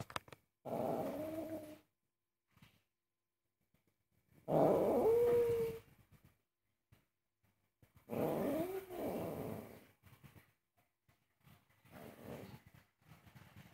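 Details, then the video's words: Very angry house cat protesting as its owner cooks, giving four drawn-out growling moans, each one to two seconds long and separated by short pauses, some bending slightly in pitch, followed by softer grumbles in a small room. "Angry cat forbids me to cook"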